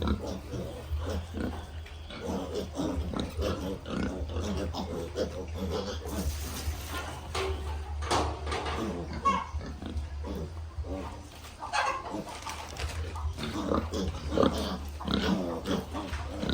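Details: Baby piglets on a farm give rapid, repeated low grunts and short squeals in quick bursts, with some voices heard in the background.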